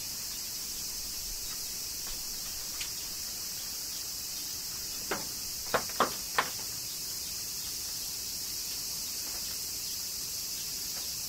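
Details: Cicadas in Kyoto, Japan, droning steadily in a high shimmering hiss during summer rain, while a quick cluster of four loud drips lands near the middle.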